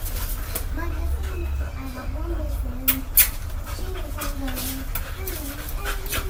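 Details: Coco, a pet dog described as acting like a cat, gives a series of short wavering whines in a room, with people talking and a low steady hum beneath.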